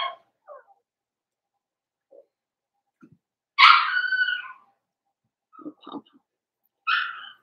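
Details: Blenheim Cavalier King Charles Spaniel puppies, from a litter of five born at New Year's to Paris and Spike, kept indoors in a puppy pen. A loud harmonic yelp stands out between scattered soft whimpers and short faint squeaks.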